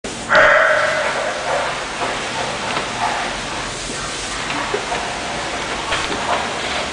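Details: English Bulldog named Suki giving a single sharp bark near the start, followed by quieter indoor background noise.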